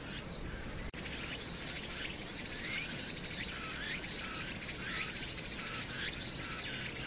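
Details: Summer-night cicada chorus on Hwangnyeongsan, 1 August 2019, with urban background noise. After a brief click, shrill buzzing trills repeat rapidly in overlapping waves above a constant low hum of the city.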